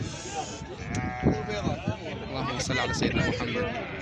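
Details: Sheep at a crowded livestock market in Syria, March 2023. Wavering bleats rise and fall beneath men's speech and background music.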